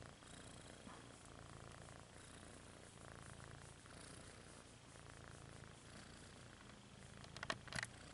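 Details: Rudolph the red-nosed kitten purrs in a continuous low buzzing rumble that swells and fades with breathing, with brief rustling noises near the end.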